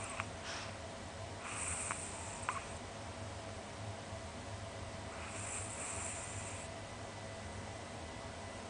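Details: A small sleeping pet Chihuahua, about 20 cm tall, snores like an old man with its tongue hanging out, filmed close up. Hissy breaths come roughly every four seconds over a steady low hum.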